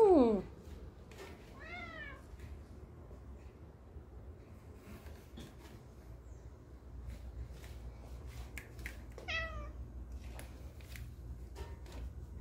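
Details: Domestic cat indoors chatting with its owners: a loud falling meow opens, then two more drawn-out, arched meows come after long quiet gaps. Low room hum throughout.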